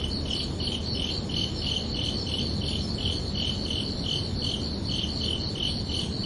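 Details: Night-time cricket chirping on a summer evening: evenly spaced high chirps, roughly three per second, each a short pulsed burst, over a continuous low hiss and rumble.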